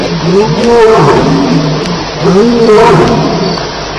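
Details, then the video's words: Lions fighting at night at Elephant Plains on July 9, 2010, at 2:11am. Two rough, wavering growling calls, each rising then sagging, about a second and a half apart, with insects faint behind. "Lions Fighting - Sounds"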